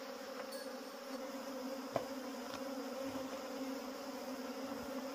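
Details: Wild honey bees buzzing while wild honey is harvested; a continuous low, even hum with a stacked, tonal drone, plus a brief sharp tap about two seconds in.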